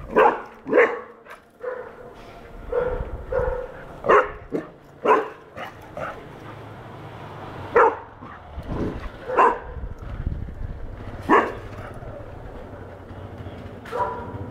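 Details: Four-month-old golden retriever puppy chasing a cow it sees for the first time, yapping in high, sharp barks, roughly a dozen spread unevenly over fourteen seconds, some in quick pairs, with a faint low rumble behind.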